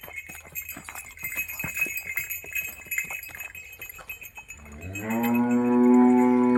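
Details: Cow offered for sale in Maharashtra, said to be very gentle and ten days from calving; after background clatter and faint talk, a loud, steady low moo rich in harmonics begins and holds for about two seconds.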